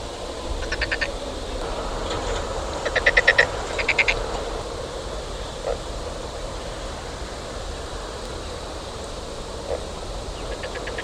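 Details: Frog calling outdoors: short bursts of rapid clicking pulses, several croaks grouped near the start and a few more at the end, each a quick rattling series over steady low rumble of background noise.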